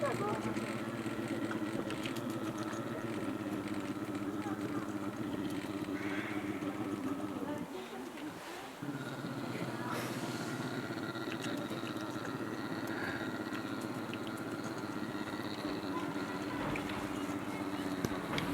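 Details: A brown bear at Ranua Wildlife Park, Finland, makes a steady, motor-like humming drone that pulses rapidly and barely pauses, apparently while licking fish skin.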